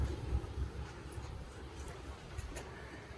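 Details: Low rumbling wind buffets the microphone outdoors, with a distant vehicle-like drone and no animal sound heard.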